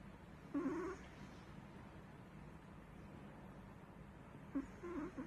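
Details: Chihuahua snores while asleep, giving two short squeaky whistling breaths several seconds apart, slightly wavering in pitch, with quiet room hiss between them.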